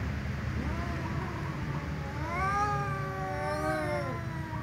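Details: Two domestic cats, a tom and a ginger, meowing loudly at each other before eating together; long harmonic meows that rise and waver, overlapping in the second half, over steady low background rumble.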